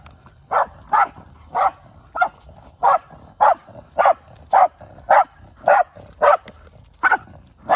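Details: Male Shiba Inu named Kai hunting in rural surroundings, kept alongside a former stray: a steady run of about a dozen clipped, evenly spaced barks, nearly two per second.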